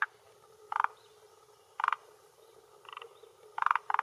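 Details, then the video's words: Forest green tree frog male croaking from the shore of a hillside pond in Japan, late afternoon in early June, vocal sac swelling; harsh, buzzy croaks repeated roughly every second, some doubled, against a low steady background. "Croaking Male of Forest Green Tree Frog"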